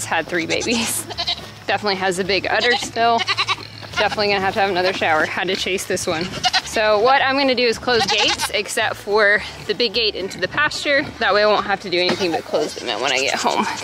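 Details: A crowd of baby goats screams on weaning day at a homestead: dense, overlapping, wavering bleats run nearly without pause, mixed with human talking.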